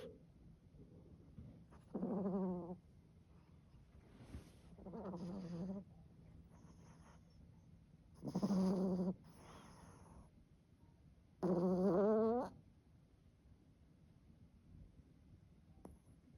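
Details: A sleeping toy poodle snores loudly indoors. Four long, buzzing, throaty rasps come about every three seconds, with quiet breathing between them in a small room.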